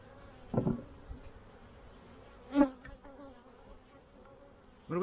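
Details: Honeybees around a hive in early spring, 7 April 2024, when colonies may need feeding: short droning buzzes of single bees flying past, one near the start, a louder one midway and another at the end, over a quiet background.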